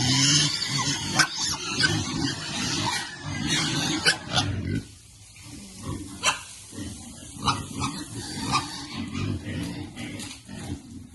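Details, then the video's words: Piglets content in cool water, trading rapid low grunts roughly three per second, with a quieter pause midway and splashing throughout. "Piglets like cool water and are happy."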